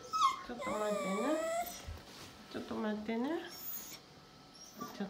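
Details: Akita dog, one of two females (a brindle 2 years 7 months and a red 1 year 8 months), restless while the pair are walked separately one at a time; long high whines that rise and fall, in several drawn-out bursts with short pauses.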